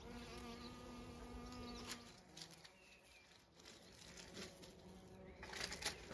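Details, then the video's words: Bees foraging on flowering privet, bluebells and cotoneaster at a County Kilkenny farm in Ireland; one close, even drone fades after two seconds, leaving a softer background hum and a few rustles. "All kinds of bees pollinating blue bells, privet & cotoneaster. Tiz buzzing"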